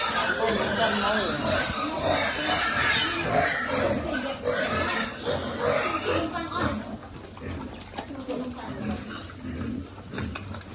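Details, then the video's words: Piglets at feeding time in a farm pig group: dense, harsh squealing and grunting crowd the first seven seconds, then fade to scattered quieter grunts, with a person talking throughout. "Feeding lovely piglet"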